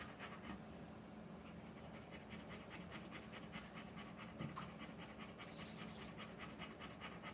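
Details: Rottweiler panting while giving birth to puppies: rapid, breathy rhythmic pants repeated steadily throughout, with a faint constant low hum in the background.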